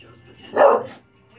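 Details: English bulldog barking while watching the Puppy Bowl on TV: one short, mid-pitched bark with a low TV hum underneath, followed by a person saying "no no no".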